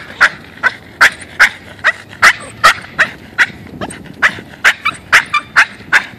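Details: Boston terrier, a pet dog, excited while out on a walk, a state it keeps up for about a mile before calming; rapid short high yelping bursts, roughly two to three per second, fairly steady, with no other clear sounds.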